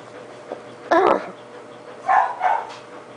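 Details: A Boxer dog up for adoption at the Georgia SPCA gives a faint short yelp, then a louder barking burst near one second, followed by two shorter rising barks about half a second apart over a quiet background.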